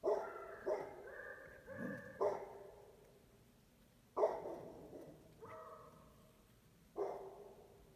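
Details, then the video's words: Beagle mixed with Basset Hound barking at strangers: a rapid cluster of barks and short baying notes, then single barks every one and a half seconds, over low background hiss. "Beagle (Basset Hound mix) barking at the strangers"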